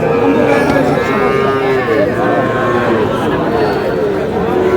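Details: Cattle, young bull and heifer calves, at a busy Tuesday market in Madaripur, Bangladesh, on 30 June: low, drawn-out moos with falling tone under dense crowd chatter and bargaining voices.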